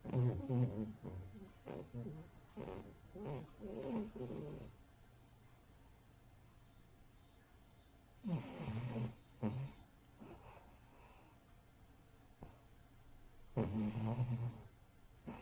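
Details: Sleeping Cavalier King Charles Spaniel, a flat-nosed breed that snores like a pug or bulldog: soft, low, rasping snores in rhythmic runs over several seconds, then quiet breathing, with two later snore bursts.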